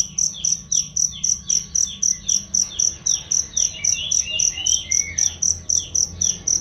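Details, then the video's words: Training recording of a cricket for cage songbirds, clear and loud: rapid even chirps about four a second, mixed with busy descending bird tweets and brief twittering phrases. "masteran jangkrik untuk burung"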